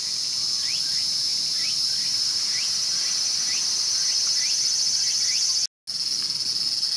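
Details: A mantis eating a cicada at Showa Kinen Park in Tokyo, 2020: loud, even, high-pitched cicada buzzing fills the air, overlaid by a regular series of short upward-sweeping chirps, then a brief cut.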